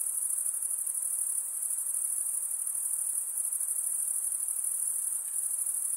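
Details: Insects at night produce an even, high-pitched ringing drone, finely pulsed and sustained without pause, over a quiet background hiss and a single faint tick near the end.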